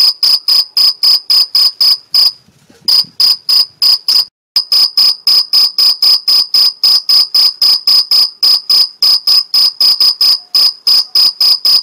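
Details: A male two-spotted (Mediterranean field) cricket, Gryllus bimaculatus, in the Algarve, Portugal, stridulates by rubbing its forewings to attract a female, a steady chirp of bright pure-toned pulses about four times a second.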